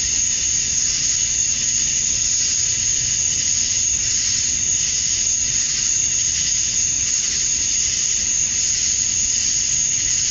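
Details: Male cicadas droning at summer dusk in Georgia, USA, to attract females: steady, sizzling high-pitched chorus with slight pulsing texture, uniform in volume, no other distinct voices.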